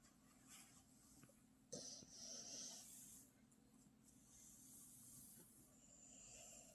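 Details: Indoor pet puppy snoring like a father: low, rough, continuous rumbling breaths under airy high hissing, with a short sharp click partway through.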